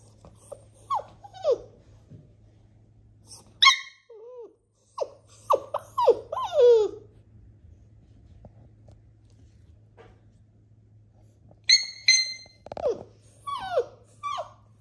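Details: Young black male flat-coated retriever puppy, indoors, giving short high whines and squeaky yelps in scattered bursts, with quieter pauses between and a steady low hum underneath.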